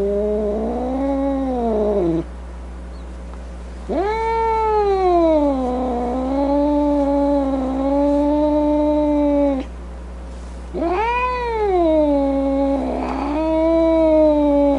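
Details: Cat producing three long, tonal caterwauls separated by short pauses. Each starts with a sharp rise, then sags and drags out. The middle yowl is the longest, lasting about six seconds.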